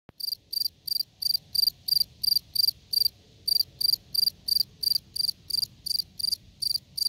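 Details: Field cricket (Gryllus campestris) calling: short, bright, shrill chirps, each a quick burst of pulses, repeated about three times per second in a steady rhythm, with faint low rumble beneath.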